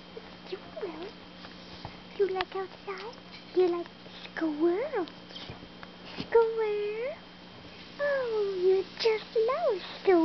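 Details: Pet dog reacting to hearing the word "squirrels", letting out bursts of high, tonal whines that arch up and fall back, some short and yelping, others drawn out, coming in quick clusters over several seconds indoors.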